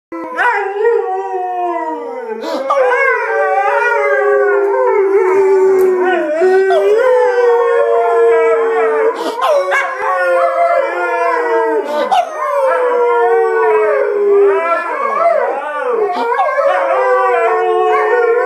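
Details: Two Alaskan Malamutes howl and yodel in long, wavering, sliding notes that rise and fall continuously.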